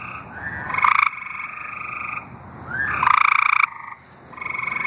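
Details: Singing tree frogs from Arkansas give two loud, harsh trills about half a second long, with softer buzzy trills from other frogs between them.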